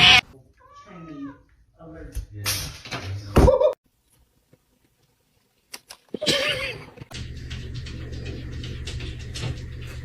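A kitten gives several short, rising-and-falling meows while people talk and laugh nearby.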